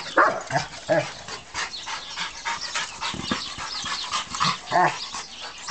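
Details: German Rottweiler stud, three years old and 120 pounds, worked up while playing with his toy brick; short harsh vocal bursts, growly yips and huffs come in clusters, with scraping and rattling from the toy throughout.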